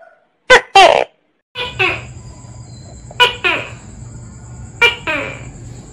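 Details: Loud tokay gecko calls, a species of tree-dwelling gecko active at dawn and dusk: repeated two-syllable barks, a short sharp note then a longer falling one, roughly every one and a half seconds, against a faint hum and high hiss.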